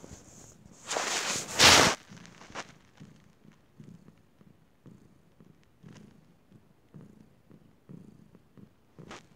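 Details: Domestic cat purring, soft low rhythmic pulses repeating steadily through the recording after a brief loud rustling burst near the start.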